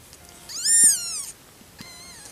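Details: Five-day-old kitten, born 31 August 2014, letting out one clear, high mew that rises and then falls, followed by a softer, shorter second cry, against a quiet background.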